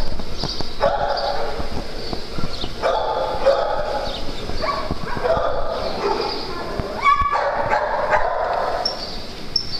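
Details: Playing dogs on a farm trade repeated yelping barks and squeaky yips in irregular bursts across the clip, with thumps and rustling beneath and a constant low hum.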